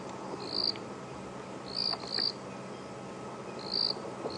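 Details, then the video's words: At Djuma Game Reserve, South Africa, on an evening safari drive on 10 March 2016 after rain, a grass frog gives short, high, buzzy chirps at an uneven pace over a steady hiss of night ambience. "And every so often in the background you can hear a grass frog."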